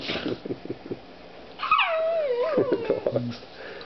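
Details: Dog at play with a new puppy indoors: a loud, high whine that swoops and wavers downward over about a second, with a few short yips around it and quiet household sounds.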